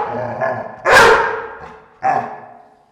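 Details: Dogs growling inside a room. A low, harsh rumble leads into a loud, rough burst, then a second shorter burst. Both fade with a noticeable indoor echo.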